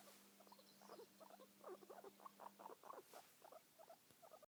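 A guinea pig purrs, a low, rapid, vibrating chatter of closely spaced pulses.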